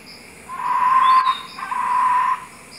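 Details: In the morning, a lone white-faced capuchin (Cebus capucinus), hopping from treetop to treetop, gives two long, steady whistled contact calls. The observer thinks it lost its troop and was calling out and looking for them.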